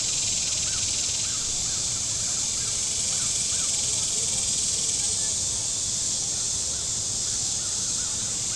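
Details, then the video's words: Warm-weather cicadas on the Table Rock Lake shore in southern Missouri hold a loud, even high-pitched buzz, with soft repeated bird chirps spaced across the passage and light low rumble from boats. "Boating Lake Sounds and Cicadas"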